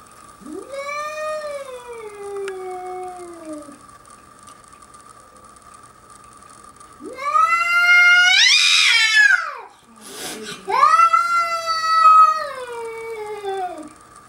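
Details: Whistler, British Columbia: a pet cat, unimpressed by a young bobcat roaming its deck, lets out long, wavering, strained yowls. Each rises, holds and sags, in three drawn-out bouts, with a brief thump between the last two.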